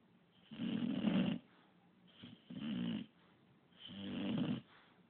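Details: Pup the English bulldog, a dog that snores constantly, lets out three rough, rumbling snores of uneven length, the first longest and loudest, roughly one every one and a half seconds.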